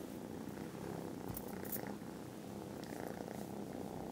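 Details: Foster kittens dozing contentedly after lunch in December give a loud, unbroken purr, a dense low throb with faint higher rustles drifting over it.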